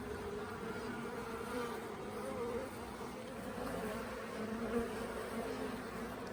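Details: A swarm of honey bees at the Tamarind Tree Hotel, swarming late in the year and undecided about staying in a nuc box while being caught. A dense, continuous low hum of massed wings with small rises and dips.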